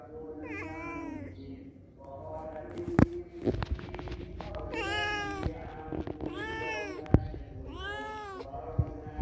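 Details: Cats that came to a house make repeated rising-falling meows, some short and some long and plaintive, spaced a second or two apart, with sharp knocks and clicks from handling in the background.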